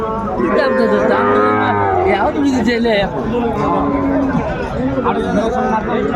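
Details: Sahiwal bull calves sold to farmers in Dhaka on 29 December 2024. Several moos, one long wavering bellow and a lower sustained call, mix with people haggling over prices.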